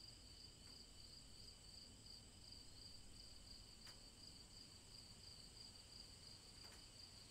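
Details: Chorus of cicadas in summer woods by day, a continuous piercing buzz with rapid regular throbbing that never pauses, layered over a soft low rumble, with two brief faint ticks.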